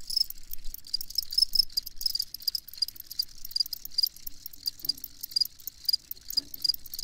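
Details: Crickets chirping for sleep listening: a thick chorus of high, rapidly pulsed chirps with nearer callers giving bright, evenly spaced trills throughout, plus a couple of soft low knocks in the background.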